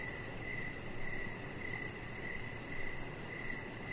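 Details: Evening cricket chorus beside a deck. Brief chirps recur at an even pace, a little under one per second, with a fine high ticking layer above and a continuous low noise bed.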